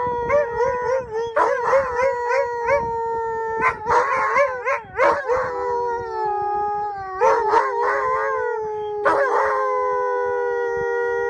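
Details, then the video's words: Two Siberian Huskies met after a farewell event at Mosaic Stadium in Regina, howling a lonesome, sad sound: long steady wavering howls with rich harmonics, broken by short yelping bursts, voices overlapping throughout. "Huskies Howling"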